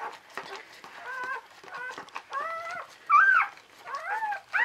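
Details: Whining cries from newborn Czechoslovakian Wolfdog puppies while the mother Orizon tends a second pup: short steady squeaks build to a louder warbling squeal, then more rising whines.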